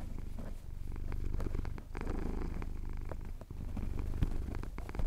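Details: Close, steady purr from a male house cat enjoying a chin scratch as the sun rises over the Cotswold hills, Tascam DR-07X recording; a dense low throb with rhythmic breath pulses and an occasional faint click.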